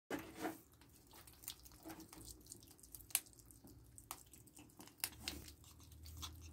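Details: Pet ferrets eating a raw diet of rabbit carcass, chicken neck and beef indoors in a small room: scattered sharp crunches and wet bites, with quiet gaps between irregular chewing clicks.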